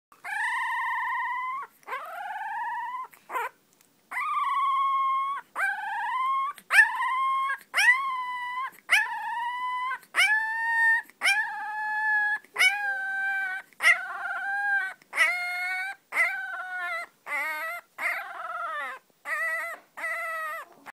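A puppy howls in a long series of high, wavering notes, each lasting about a second.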